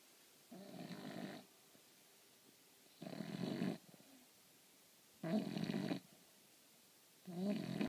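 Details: An English Bulldog snores during a little nap, in deep, rasping bursts, each breath drawn out and repeated about every two seconds.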